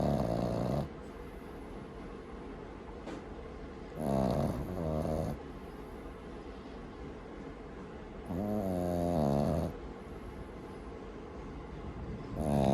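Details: Sleeping Boston Terrier puppy Maru snores at home, each inhalation a harsh vibrating rattle lasting one to one and a half seconds, repeated about every four seconds with quiet intervals.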